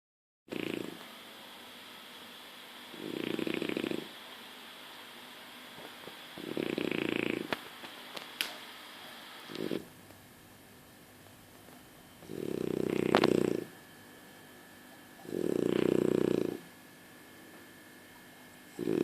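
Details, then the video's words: French Bulldog asleep and snoring indoors: low, rough, droning snores about one second long, coming roughly every three seconds, some louder and buzzier than others, with quiet breathing gaps between. "The French Bulldog schläft und schnarcht!"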